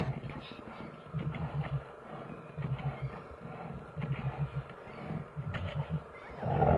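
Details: Two big brown bears fighting in Finland, giving deep, rumbling growls in short pulsing bursts, roughly one burst every second, with a louder harsher roar closing the sequence.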